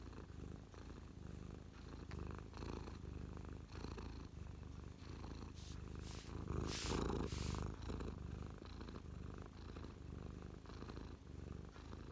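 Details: Pet cat Mia purring close up while parked on a lap, feeling happy, on 12/12/2023 shortly after attacking a feather; steady low rumbling purr with rhythmic in-out pulses, faint rustling now and then.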